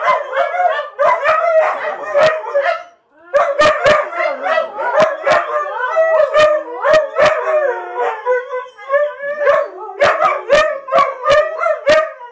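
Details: Huskies from a house full of huskies singing in a group, layered wavering howls that rise and fall, with brief yips and frequent sharp knocks, a short pause near the three-second mark.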